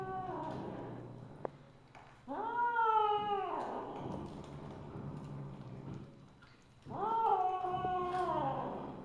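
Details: Wailing pair of meows from Misu, a Siamese (Wichienmaat) mother cat, dated 2/1/2015, 8:18 PM: each call bursts in loud, stays level, then fades downward, the two several seconds apart, with faint earlier calling and background murmur.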